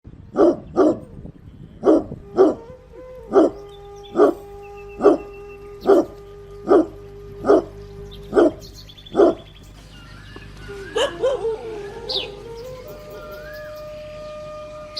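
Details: Dog barking in a steady series of about eleven sharp barks, roughly one a second, for nine seconds, then the barking stops and fainter squeaks and tonal whistles carry on over a constant hum.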